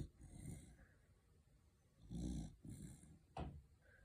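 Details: A tiger corgi snoring, with low, rumbling breaths and a sharper snort near the end.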